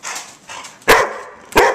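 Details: Puppies missing their mother bark on command indoors: two short, sharp barks about two-thirds of a second apart, over a background of handling noise and a person repeatedly telling them to sit down.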